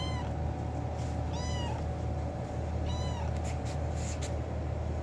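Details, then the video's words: Kitten meowing loudly to attract its owner: three clear, high, arched meows with rich harmonics, each under half a second, spaced about 1.5 seconds apart, over a steady low hum and a few faint clicks. "kitten meowing loudly to attract me"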